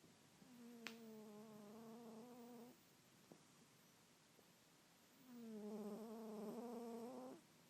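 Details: Bengal cat snoring: two long droning breaths, each about two seconds, with a steady buzzy humming tone, separated by a quieter pause with a couple of faint clicks.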